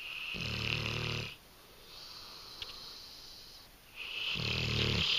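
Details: Sleeping English Mastiff female, Nakita, gives two loud rattling snores with deep low vibration, separated by a softer hissing exhale, in a quiet indoor room.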